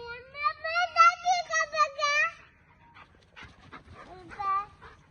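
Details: German Shepherd dog giving a run of wavering, high, tonal whines that pulse several times over two seconds, followed by a person speaking commands in Hindi indoors.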